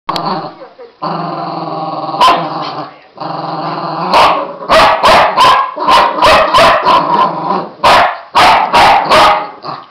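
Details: Two Border Terriers playing together, growling continuously: long rough harmonic growls broken by a rapid run of short snapping yaps and grunts in the second half, with the growl resuming between bursts.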